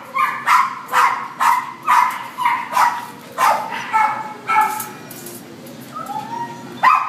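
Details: Barking from a black-and-tan Chihuahua held at Devore: a quick run of short, bright yaps about every half second, then a pause and a few thinner, rising whines before a last bark.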